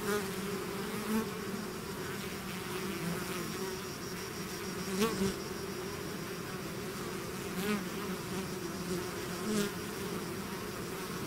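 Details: Bees swarming out of their hive fill the air with a constant layered hum, punctuated by several louder close fly-bys around 1, 5, 7.5 and 9.5 seconds.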